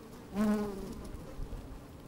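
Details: Honey bees at work in an opened hive on a fine, sunny day, microphone slid down inside the hive; a single bee's buzz swells briefly with a low tone and stacked harmonics, then fades into a soft hum.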